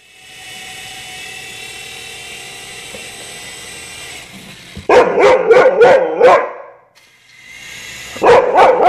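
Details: A Siberian Husky chasing a remote-control helicopter around the house gives a quick run of sharp, high barks after the helicopter's steady mechanical whine.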